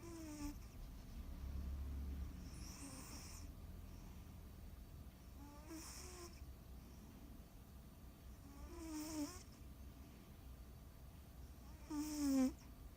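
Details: Tora, a sleeping cat, snoring indoors: raspy, breathy snores roughly every three seconds, each a short hissing rush with a rough rattling edge, over a steady low background hum.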